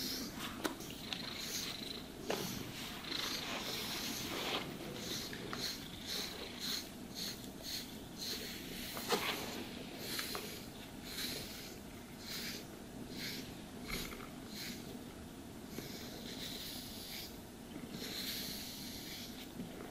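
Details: Cat purring as it is groomed with a brush; continuous low purr underlies frequent bristly brushing swishes, roughly one per second, with an occasional sharper scratch, in a quiet room without talking.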